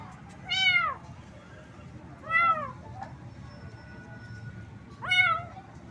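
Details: Three plaintive, arching meows, roughly two seconds apart, from a little cat that was getting wet in the rain and shivering a lot from the cold, with a faint steady tone in the background.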